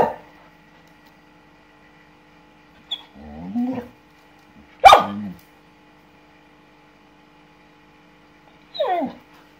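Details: Anouk, a female Samoyed dog, reacts indignantly on seeing a lizard for the first time: a low groaning grumble, then one sharp bark, a pause, and a brief falling whine, over a faint steady background hum.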